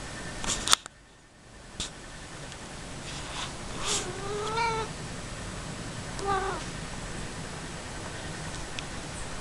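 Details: Casper, a talkative pet cat, playing indoors, gives two short meows with wavering, slightly rising pitch near the middle and a third brief one later, amid rustling, clicks and steady room noise.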